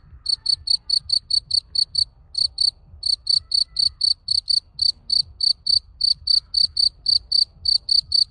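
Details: Cricket found on a garden plot in summer, singing a steady series of bright, high-pitched chirps repeated roughly four times a second with brief pauses, clear and loud against faint low rumble.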